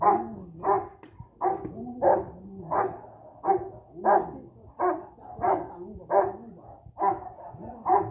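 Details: First-generation bandog, a Boxer crossed with a Rottweiler, barking steadily during personal protection training: about a dozen heavy, evenly spaced barks, roughly two per second, with faint talking in the background.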